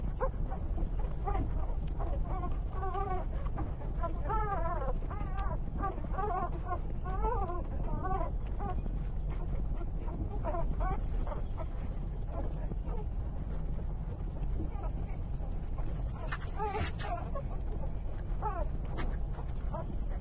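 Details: Three-day-old puppies trembling as they breastfeed from their mother, giving a run of high, wavering whimpers and squeals clustered in the first half, thinning out later, over a steady low rumbling background.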